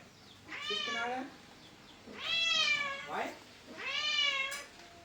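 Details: Pet cat meowing three times at roughly even intervals, each meow a drawn-out nasal wail that rises and then falls, with a faint human voice briefly heard between the second and third calls.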